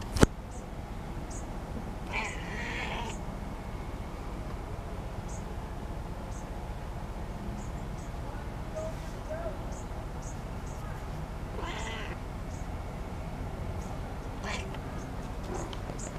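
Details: Bootsie, an elderly female pet cat, meowing during play; three drawn-out, harmonic meows rise out of a steady low rumble at about 2, 12 and 14.5 seconds, with faint voices in the background.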